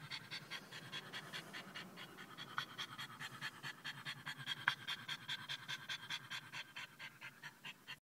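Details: Excited French Bulldog, just back from a short car trip to a pet store where people gave him attention, panting fast and hard; regular breathy huffs about 146 per minute with a faint low hum underneath.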